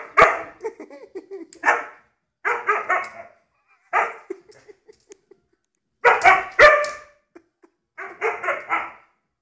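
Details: Domestic dog giving clusters of quick, rough barks separated by short pauses, with a few soft yips and clicks between the bursts.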